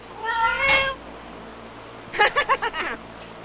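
A Siamese cat in heat gives a long wavering yowl, then a quick run of short clipped cries.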